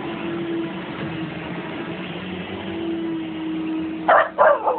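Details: A Siberian Husky howling at a vacuum cleaner holds a drawn-out, fairly level howl that dips slightly in pitch over the vacuum's constant drone, then switches to a few quick, harsh yelping barks.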